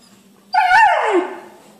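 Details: Young female Siberian Husky, a pet taught to speak, voicing her first word "pollo": one loud harmonic howl-like utterance that jumps up, holds, then slides down over about one second, in a quiet indoor room.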